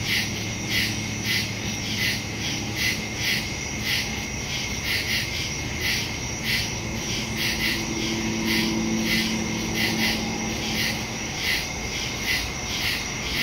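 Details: Night chorus of crickets in woodland, recorded September 2, 2023, on a Samsung Galaxy S22 Ultra with a Shure MV88+ stereo mic; rapid high chirp pulses repeat steadily, with a faint low hum in the background.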